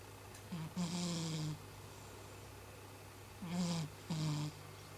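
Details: Chibi, a domestic cat, snores in sleep much like a human: two groups of low, buzzy, slightly falling breaths with airy hiss, the second a double snort, over a quiet indoor hum.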